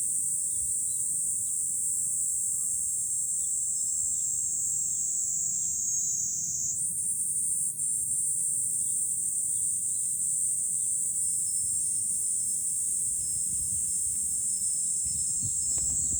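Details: A continuous high-pitched cicada chorus in July from a vantage point above Fukuoka City, Japan; the droning tone shifts slightly higher partway through, while faint bird chirps and light wind noise sit underneath.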